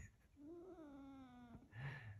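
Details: A female caracal, playfully teased by her owner touching her whiskers, gives a drawn-out, tonal meow that rises slightly, then sags and fades.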